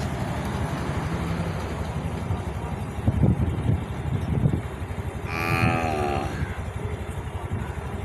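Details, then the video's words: Calves searching for their mothers call out: one short, rich bawl over a steady low rumble. "calfs searching her mothers with sounds"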